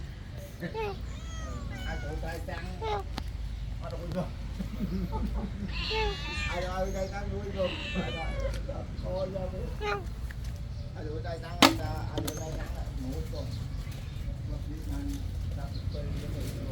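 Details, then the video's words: Poor kitten at a temple eating its food; several high wavering meows between 1 and 9 seconds, overlapping Khmer speech and low rumbling background noise. "Watch the life of a poor kitten at a temple as it eats its food one by one"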